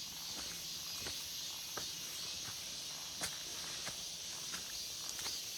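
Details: August forest cicadas producing an unbroken high hissing drone, overlaid by occasional soft clicks or snaps.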